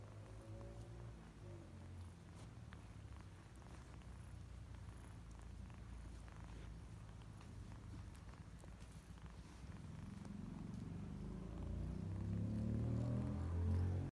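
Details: Kittens purring in a steady, low, throbbing rumble, about four pulses a second, that grows louder and fuller toward the end; a faint, brief, tonal sliding sound appears near the start.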